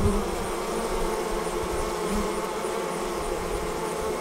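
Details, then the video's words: Many honey bees streaming out of their hive to swarm, heard as an unbroken, loud and even buzzing drone. "Bee Swarm Leaving the Hive"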